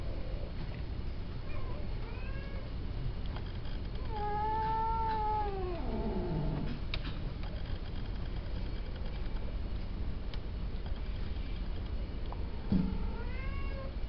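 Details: Male cats kept for mating at the Wahat al-Reem cattery: a long, drawn-out, wavering meow spans roughly two seconds mid-clip, framed by shorter rising meows near the start and end, over a constant background hiss.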